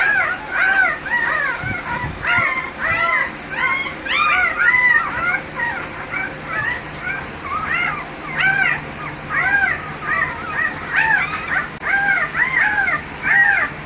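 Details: American Bully kennel dog heard in a dense run of high whines and yips. The bent, arching notes come quickly, sometimes overlapping and crowding together, and continue for the whole stretch.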